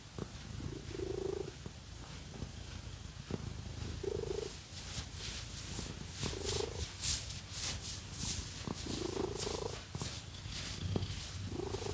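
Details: House cat being scratched with fake nails, purring contentedly: a deep, even vibrating drone with brief humming swells on each breath every one to two seconds, mixed with brisk rustling scratches.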